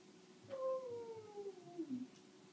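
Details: Indoors, a Samoyed named Astrid howls along with a fire alarm, one long, clear, tonal note gliding gradually down in pitch and ending in a brief lower wobble.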